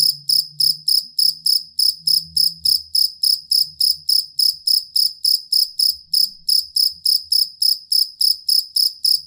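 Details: Cricket (jangkrik kalung or jangkrik aduan) used as a master sound for contest songbirds: regular, piercing high chirps repeated around three and a half per second, with a faint low murmur in the first seconds.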